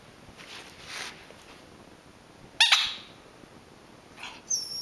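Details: Playful Rat Terrier, bothered by a squeezed squeaker toy, lets out a single short sharp bark midway, followed later by a faint bark and a high thin squeak from the toy.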